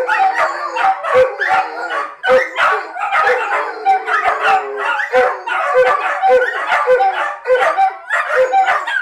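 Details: Dogs howling as a group when their owner makes a short trip to the shop without them, called separation anxiety; dense overlapping howls with steady tones and frequent sharp yips, a rolling continuous chorus.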